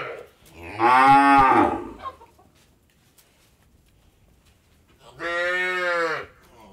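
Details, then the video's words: Cow mooing on an Indian dairy farm: two separate drawn-out moos, the first loud and rough lasting about a second, the second steadier and slightly shorter after a quiet pause. "Cow Moor"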